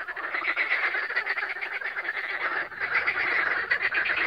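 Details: Lakeside frog concert at Siófok on Lake Balaton, Hungary, May 2021, phone-recorded: a loud, continuous mass of fast rattling croaks, roughly four pulses a second, crowded and unbroken.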